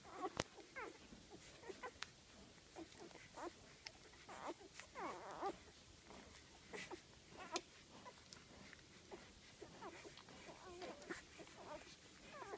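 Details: Eight golden retriever puppies aged five days, born September 17, produce scattered thin squeaks and soft whines amid clicks and rustling, with faint overlapping calls from several pups.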